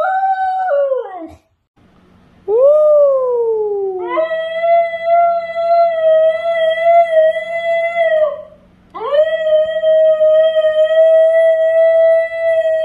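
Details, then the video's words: New Guinea Singing Dog howling, a distinctive melodious howl made by curling the tongue back and vibrating it like a reed: short falling yelps, a rising swoop, then long steady tonal howls with slight wavering, separated by brief pauses. "they curl their tongue back and vibrate it like a reed instrument to get the distinctive sound here is a short example of singing dog howling"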